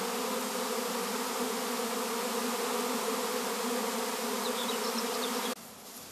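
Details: Swarm of honey bees, which a beekeeper plans to join with another colony in the evening: a dense, steady, low droning hum with layered tones that continues unbroken for over five seconds, then cuts off abruptly into quieter background.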